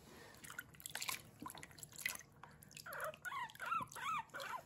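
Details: Guinea pig Kurumi in her bath: water splashing and pouring first, then a quick run of high arched squeaks near the end while she is washed.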